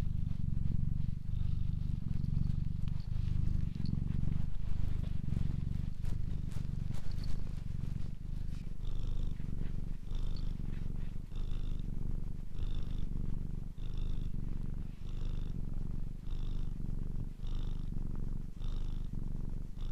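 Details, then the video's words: Domestic cat purring steadily: a continuous low rumble throughout, with soft breathy hisses on each breath becoming clearly rhythmic in the second half, about one breath per second. "Ralaxing Cat music for Calm Cats and Kitten [Cats Breathing]"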